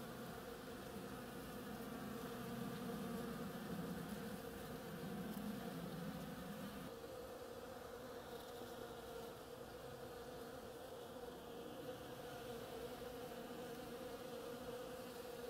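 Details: Bees busy on a flowering oriental creeper: a constant layered hum, with a deeper, louder buzz from a nearby bee during the first seven seconds before it fades, leaving the steady background drone.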